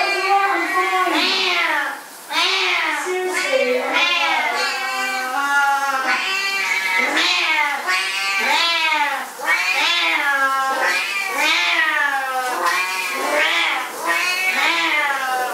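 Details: Domestic cat from a vocal cats compilation, giving a long run of loud, wavering meows one after another, each bending up and then down in pitch, with short breaks between bursts.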